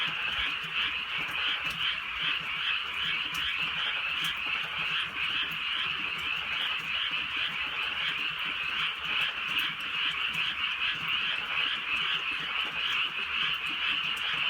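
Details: Frogs in full chorus through a rainy rural night, a dense shimmering trill held without break, faint deep croaks pulsing roughly twice a second beneath it, with sporadic raindrop clicks.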